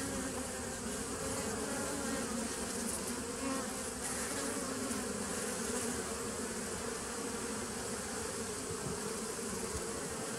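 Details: Steady droning of many bees, dated 27 September 2018; the low, even buzz carries without a break, rich in humming overtones, with a faint hiss above.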